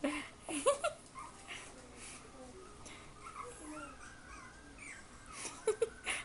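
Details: Litter of cream Pomeranian puppies indoors: brief high-pitched whimpers and squeaks near the start and again near the end, with quiet room hiss between them.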